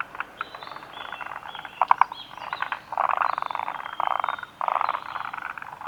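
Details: Forest green tree frogs at Kawaguchiko Field Center, Japan, recorded 2 June 2019: a dense chorus of grating, rattled croaks that builds into louder sustained churring bursts in the second half, callers overlapping throughout.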